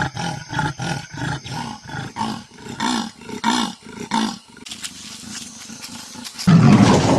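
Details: Leopard making a series of deep rasping grunts that slow and weaken over about four seconds, followed by a hissing noisy stretch and a loud broadband burst at the end.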